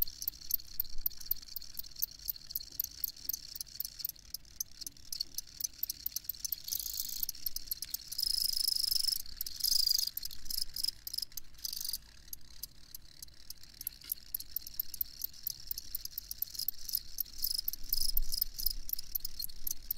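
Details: High-pitched cricket chirps pulse rapidly and unevenly, with a denser, continuous trill swelling between seven and twelve seconds before the quicker chirping resumes over faint low background noise.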